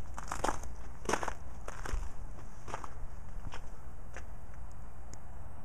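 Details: Crunching steps and scuffing in snow outdoors toward evening, with a steady high hiss and no animal calls.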